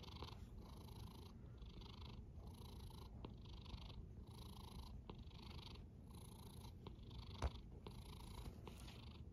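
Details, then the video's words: Cat snores in a low, rattling drone, each breath adding a breathy hiss that lasts under a second before a short pause, regular throughout, with one brief tap near the end. "A snoring cat"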